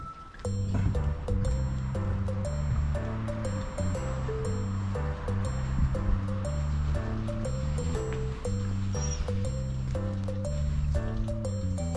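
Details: Steady instrumental background music with a repeating low bass line and plucked melody; no dog or other animal voice stands out.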